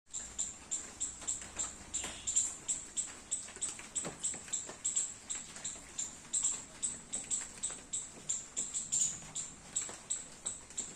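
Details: A squirrel in a garden, eating baby coconuts in the rain, gives rapid, very high, sharp chirps, about four a second, steady throughout.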